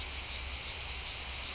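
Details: Thousands of cicadas in the Landes, France, along the Saint-Jacques pilgrimage route in 2010, drone together in a steady, shrill, unbroken buzz.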